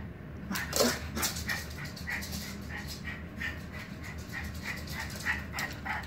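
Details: Lilly, a Miniature Pinscher, wanting to play with squirrels: a steady series of short, high whimpering whines repeated about every half second over a low continuous background hum, with a few louder clicks near the start.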